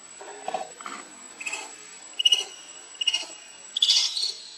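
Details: Lucie, a baby monkey refused milk by its mother, cries in quick high-pitched squeaks that climb into sharper, longer shrieks toward the end, roughly one or two per second, over a faint constant high tone.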